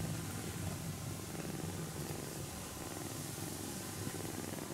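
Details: Napping kitten being gently stroked so it stays asleep, purring in a steady low rumble that runs unbroken through the whole stretch, with a soft hiss of background noise.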